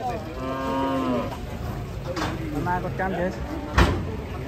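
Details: A raging cow that climbed onto a truck gives a low, steady moo lasting just over a second, then short, fainter lowing calls. A sharp knock near the end, with vehicle and background noise throughout.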